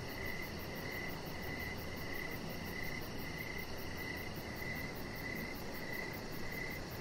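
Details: Evening cricket chorus beside a deck with decoration lights: bright, high chirps pulse steadily around twice a second above a smooth wash of background noise.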